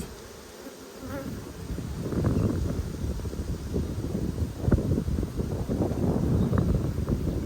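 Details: Honey bees of a strong colony in Australia, opened for inspection during a food dearth on 5 February 2022. A dense, low, steady hum swells after the first second and then stays thick and even, with no voices over it.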